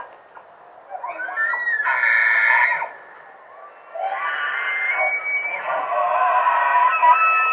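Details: A bull elk in velvet bugles at dawn in Jackson Hole, Grand Teton National Park: a long, high, whistling call that rises, then holds a strained, reedy tone.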